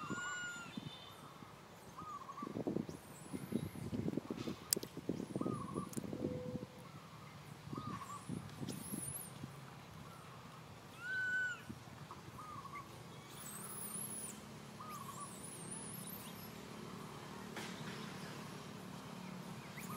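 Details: Baby monkey Santo calling his mother Sara for milk: several short, arched, tonal cries, with rustling and low thumping handling noise in the first half and thin high whistles above.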